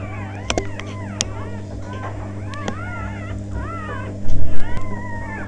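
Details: Newborn Labrador puppies: thin, squeaky whines curve up and down, several overlapping, with sharp clicks and a steady low hum underneath, then a burst of louder rustling near the end.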